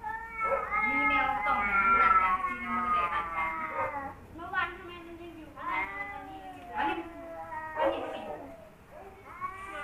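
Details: Two rival male domestic cats, one a former wild cat newly brought home, confronting each other: long drawn-out wailing yowls give way to a series of shorter rising and falling wails, about one each second, with brief pauses between.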